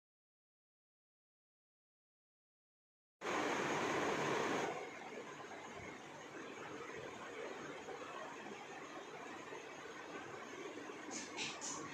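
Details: Three seconds of silence give way to a steady hiss of broadband background noise, with a few faint high clicks near the end and no animal calls.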